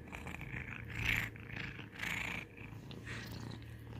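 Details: Domestic cat purring for ASMR: a low continuous rumble under rhythmic breathy, hissing pulses repeating about once a second, like loud inhales and exhales close to the recorder.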